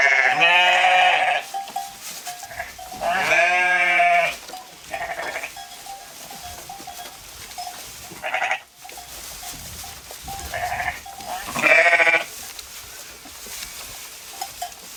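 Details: Sheep grazing in the field bleat at intervals: two strong, trembling baas in the first four seconds, then scattered fainter bleats, the last one loud near twelve seconds, over a steady faint ringing tone and outdoor hiss.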